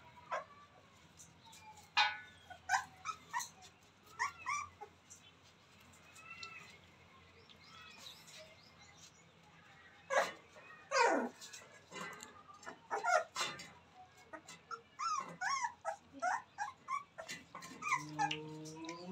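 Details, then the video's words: Newborn Rottweiler puppies playing; thin squeals and whimpers, some sliding downward, rise over a steady background hum, growing busier in the second half with clicks and rustles. "Newborn babies playing"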